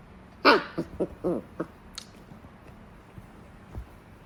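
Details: Puppy during its first attempt at having its teeth brushed; a quick burst of short harmonic yelps or squeaks, about five in just over a second, then quiet with small clicks and rustles.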